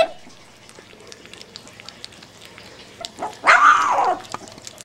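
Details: Boerboel puppy at first feeding, giving one short arched whining squeal, rising then falling, near the end, after a quiet stretch with soft rustling and a person speaking gently nearby.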